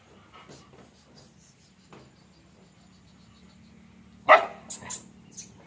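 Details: Guard dogs on a farm in Erode: after a quiet stretch with a low steady hum, one sharp loud bark bursts out, followed within a second by two or three shorter, fading barks.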